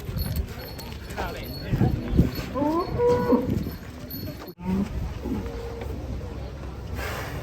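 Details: Fat cattle: brief, wavering low moos in the first half, then a short low grunt, amid shuffling, thumps and steady background noise.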